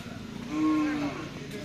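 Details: Cattle at a karapan sapi bull race training session on the Bluto field in Sumenep. A single steady, level low moo lasts about half a second, with faint background chatter and crowd noise.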